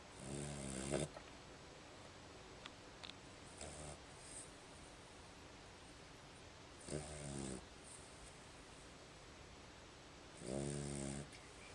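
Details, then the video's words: Sleeping dog snoring indoors: deep, rasping, harmonic snores about a second long, with long quiet pauses between them and a faint hiss in the background. "Snoring Dog"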